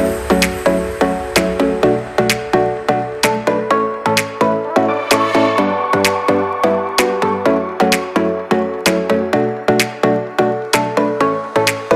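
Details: Electronic dance music with regular plucked notes and a pulsing beat plays throughout, and no animal voice is heard.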